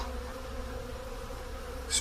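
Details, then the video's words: Spring buzzing of honey bees at hives in a honey hut as snow melts on a 10 °C day: a continuous low hum with steady tonal bands, ending in a brief sharp knock. "Honey Bees Spring activity at the Honey Hut"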